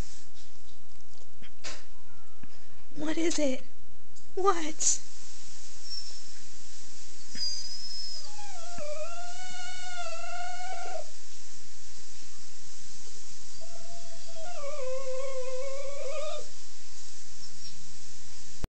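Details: Italian Greyhound making two wavering, sad whines separated by a quiet stretch, with earlier thumps, rustling and a faint human voice.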